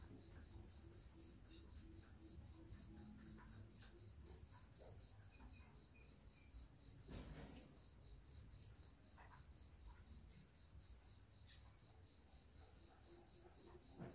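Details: Crickets aged three to twelve days produce a continuous train of rapid, high, regular pulses, with a fainter lower pulsed trill early on, a brief loud crackle midway, and low background hum.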